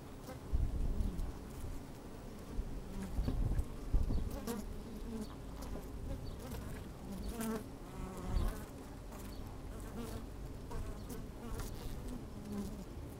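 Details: Honey bees working in an open hive on a sunny, slightly windy day, microphone lowered inside; a soft low hum with brief buzzing swells, under heavy low rumbling and thumps.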